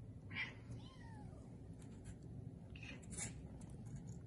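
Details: Three-week-old Bengal kittens, born 3-13-20, playing and exploring indoors at a registered cattery in Kalama, Washington; a short, quiet, arching meow rises then falls, with a softer mew after it, low room rumble, and faint human voices nearby.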